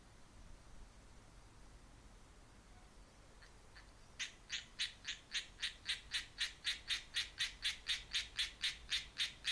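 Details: A Japanese tree frog sings from a tree, giving a fast, steady run of harsh, raspy croaks, about four every second.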